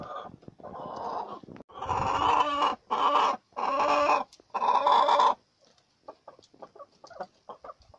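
A guinea pig gives a run of loud, squealing calls, each held for about half a second.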